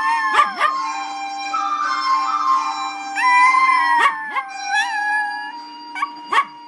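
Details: Dog howling along with a Chinese flute melody, giving short yipping, sweeping cries and longer wavering howls that bend up and down over the steady flute notes and a low hum.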